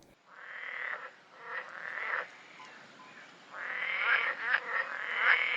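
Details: Berger's frog (Italian pool frog) in Corsica, which lives in calm, vegetated water up to 600 m. It gives loud, discontinuous bursts of rapid, rattling croaks, a classic frog song.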